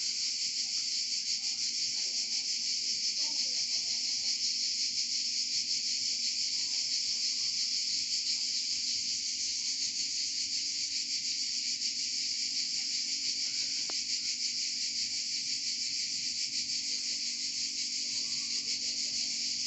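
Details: Cicadas in Provence sing in a dense, unbroken high-pitched buzzing chorus that holds steady throughout.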